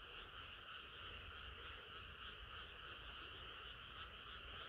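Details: A chorus of frogs singing on a hot summer night, a dense continuous wall of croaking in two steady bands, mid and high, with no clear individual callers standing out and a low rumble underneath.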